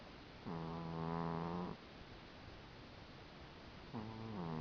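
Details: Female cat snoring in her sleep, two long, low, buzzy-toned breaths about three seconds apart, each steady and droning for over a second, with quiet in between.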